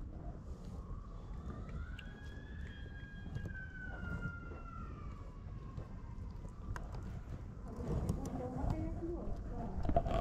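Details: Stray mother cat in Morocco meowing gently for food while her kittens sleep: one long drawn-out meow, rising then slowly falling over about five seconds, with a steady low street hum and scattered clicks and rustles.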